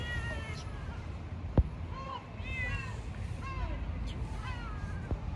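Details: Stray cats at feeding time, a pregnant cat said to be attacking another cat as it eats; several harmonic meows, some rising then falling, repeat over the street noise, with a few sharp knocks.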